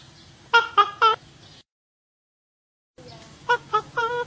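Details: Otter chirps: three bright, high, evenly spaced notes, a stretch of silence, then three more matching chirps ending on a slightly longer note, over a soft low hum.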